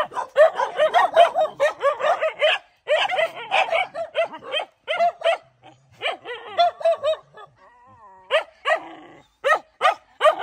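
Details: A dog defending her puppies in a fight barks fast and steadily, more than two barks a second, high and sharp, broken by a brief lull with a thin whining tone before the barking resumes.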